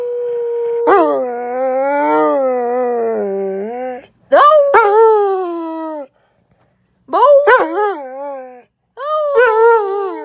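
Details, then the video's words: Dog giving drawn-out howls: one long sustained wail that slowly dips and rises, then shorter wavering howls with quavering rises, separated by brief silences. "Funny howling Dog"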